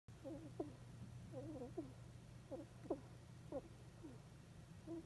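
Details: Pet hedgehog Sumiko, deeply asleep in her bed, makes sleep-talk noises described as "hiko hiko" and "hikku hikku": short squeaky nasal chirps in small clusters, each roughly a second apart, over a faint low hum.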